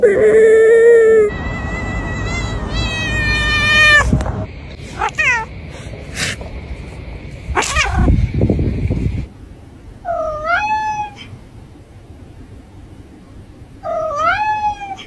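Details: Domestic cat giving a string of loud, edited-together meows and caterwauls, some long and wavering, others short and rising, with bursts of clattering noise between them.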